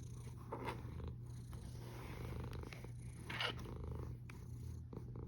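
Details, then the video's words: Domestic cat snoring, recorded 1 August 2021 at 13:27. A deep, continuous rumble is broken by two brief breathy bursts of higher noise. "Храпящая кошка Snoring cat"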